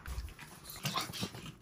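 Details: Pomeranian puppy playing a treat-finding game with its owner at home, indoors: a brief burst of short, high whimpering yips lasting about a second and a half, in a small room.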